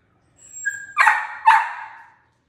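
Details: A female miniature dachshund puppy gives a brief high whine, then two sharp, yappy barks, asking for her stuffed elephant toy to play.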